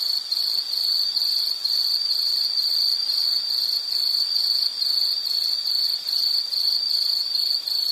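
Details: Insect producing an unbroken high, buzzy trill of rapid even pulses, with slight swells in loudness and nothing else audible.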